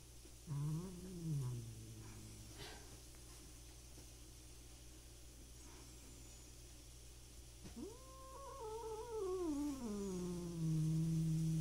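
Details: Two stray cats fighting in the countryside in their third clash. A short wavering growl comes first, followed by a long quiet gap, then a loud rising yowl that bends down into a low held growl.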